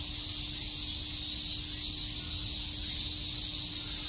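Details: Brief burst of a summer cicada chorus at Shakujii Park, Tokyo: a constant, hissing high-pitched drone from numerous insects, with a faint low hum beneath.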